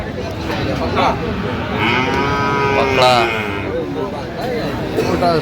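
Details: Sahiwal bull calves at a cattle market in Mymensingh, Bangladesh, on 11 October 2025, as a farmer buys; drawn-out overlapping lowing from several cattle over constant crowd chatter and talking.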